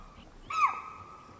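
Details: A spotted deer (chital) in Pench National Park tiger reserve, India, in dry deciduous forest, gives a single sharp, high alarm bark upon seeing a tiger lying nearby.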